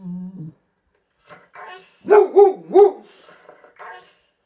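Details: A Swedish male Boxer dog 'talks' in a run of three arched, yodelling howls, each sliding up and back down within about half a second, with a man's quiet speech before and after, as if answering him.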